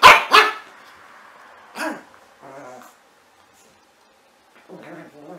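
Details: Puppy letting out two loud, quick barks, then a third after a pause, followed by soft whimpering grumbles.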